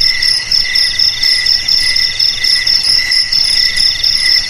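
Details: Shrill, ringing cricket song played to drive rats out of homes and farm fields; overlapping insects produce evenly pulsed trills in high stacked pitches, swelling gently every second or so, nothing else audible.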